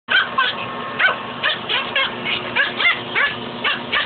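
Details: Pet dog picking a fight with a shop vac hose, letting out rapid, high yipping barks in dense overlapping bursts, about three per second, over a steady low hum.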